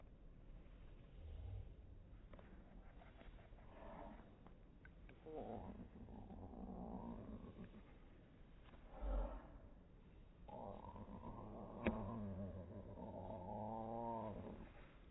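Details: Domestic cat meowing, played back in slow motion: drawn-out, deep, harmonic wails, one rising then wavering near the end, over a low rumbling background.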